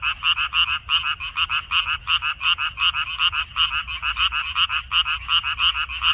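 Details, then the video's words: Frogs in a water dropwort field recorded 14 May 2021, giving rapid rasping croaks with a bright high overtone, several callers overlapping so the beat becomes irregular. "고향 생각 나게 해주는 개구리 소리, 미나리밭의 그놈들, Croaks of Frogs, Sounds of frogs, Song of frogs"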